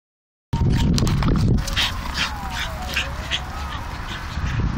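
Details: Staffordshire Bull Terriers playing tug of war, a game they love; deep rumbling growls and noisy scuffling in the first seconds, then softer continued growling with a thin squeaky whine underneath.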